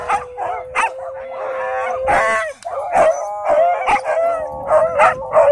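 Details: Husky screaming after an encounter with a pitbull at a dog park: drawn-out wavering wails with rich overtones, broken by sharp yelping bursts roughly every half second, and a steady high whine running beneath throughout.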